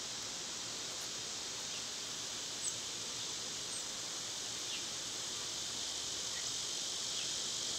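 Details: Cicadas produce a continuous, high-pitched buzzing wash in summer in a backyard, with brief, thin bird chirps cutting through the drone.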